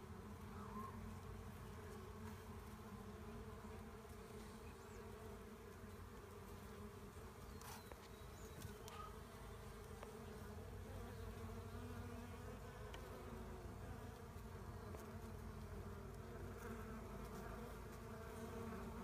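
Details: Massed honey bees buzz steadily while a swarm is gathered, the deep hum holding constant for the whole stretch, with occasional light clicks from handling.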